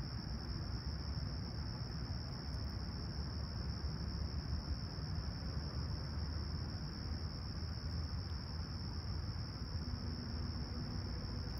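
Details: Crickets chirping at sunrise on a clear, calm summer morning at Humber Bay Shores, Toronto, July 28, 2020, about 20ºC: a steady, unbroken high-pitched trill held throughout over a constant low rumble of distant traffic.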